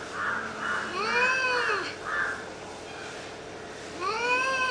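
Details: Fighting cats trade long arching yowls, each swelling then sinking, with softer moaning tones between and a fresh rising wail starting near the end; a steady low hum runs underneath.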